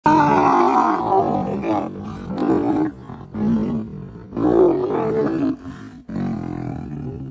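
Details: Male lions fighting, growling and snarling in long, rough, throaty bursts with brief pauses between them. The bursts are harsh and noisy rather than tonal, some swelling loud and then breaking off.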